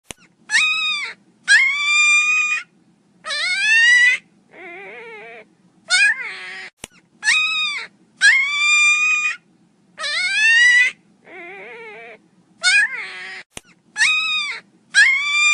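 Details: Miniature Pinscher puppies crying loudly in an unbroken sequence of piercing, slightly rising whines. Each pair of cries is followed by a quieter, lower wobbling whimper, and the cycle repeats steadily for fifteen seconds.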